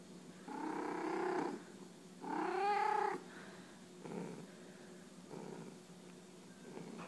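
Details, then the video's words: Domestic cat bunting its owner, giving two drawn-out, tonal mewing calls within the first three seconds, then several softer, quieter murmurs over a faint steady hiss. "Cat bunting its owner & purring"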